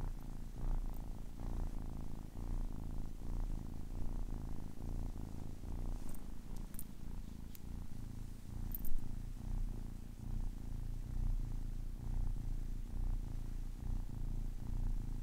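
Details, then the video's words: Soft, steady purring by a 10-week-old kitten, a continuous low-pitched rumble with gentle pulsing, fairly quiet, with a few light clicks and handling noises midway. "10 weeks old kitten purring"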